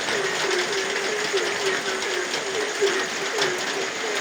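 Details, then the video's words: Short low frog croaks sound at night in the rain, spaced a little more loosely, roughly two per second, beneath a continuous wash of rainfall. "suara hujan dan suara kodok di tengah heningnya malam"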